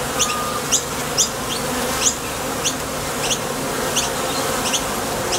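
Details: Bees at the entrance of a Top Bar Hive, leaving for and returning from the field for nectar. A steady dense hum is broken by short rising whooshes of single bees darting past, about two each second.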